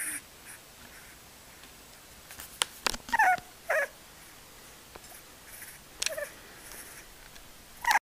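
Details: A sleeping blue American Pit Bull Terrier puppy, fourth born of a litter of seven, gives a few brief, high, squeaky chirps with quiet gaps between them.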